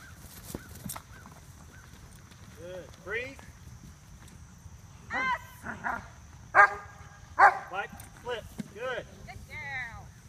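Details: Female dog doing escape bites as a helper at a Schutzhund club seminar in August 2014; a string of sharp harmonic barks and yelps in irregular bursts, some doubled, with a faint steady high whine throughout.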